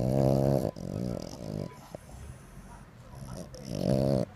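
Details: French Bulldog making low rumbling growl-like vocal bursts with dense harmonics, two long grumbles at start and end with quieter snuffling between, recorded 20 August 2025 at home.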